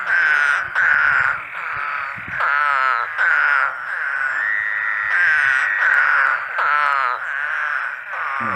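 Spadefoot toads give nasal, buzzy moaning calls, each under a second long, repeating and overlapping one another.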